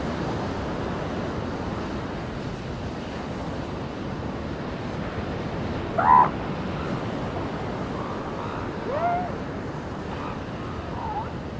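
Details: On a beach, a seal pup lets out one sharp, loud cry midway, then a softer wavering call a few seconds later, with rolling waves throughout.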